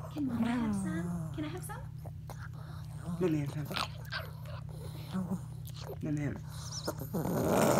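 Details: Little pet Chihuahua doing his every-night bedtime play routine with his own 'language': a long sliding growl-moan, then choppy warbling grumbles and brief whiny bursts, a person's voice close by and a constant low hum.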